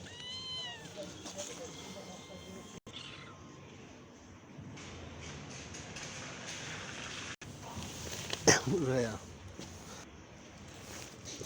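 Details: Kittens meowing: a clear rising-then-falling meow with stacked harmonics in the first second, a fainter one near 1.5 seconds, and a loud, wavering meow around 8.5 seconds. A person talks throughout over steady background hiss.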